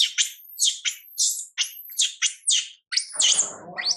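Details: Monkey MILA, a young female, cries out as mother MILIKA pays no attention: shrill, sliding screams in quick succession, each dropping in pitch, with a rougher, noisier wail at the end.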